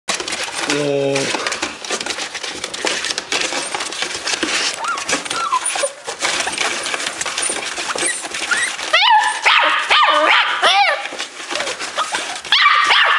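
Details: Several excited Dachshund puppies in a box, thrilled to see a person, giving high rising whines and short yelps between bursts of rustling and scratching, with a brief low voiced sound near the start.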